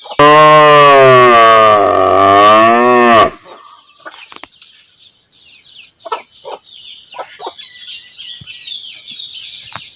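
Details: Village cow mooing: a single loud, drawn-out moo of about three seconds with rich stacked harmonics, then quieter background of bird chirps and scattered clucking-like calls.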